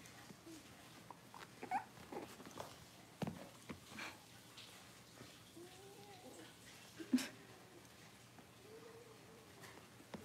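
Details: Six-week-old Cavalier King Charles Spaniel puppies in an indoor puppy pen, being dewormed and having toenails trimmed; soft, arching whimpers and short whines come now and then, with clicks, handling noises and faint human voices.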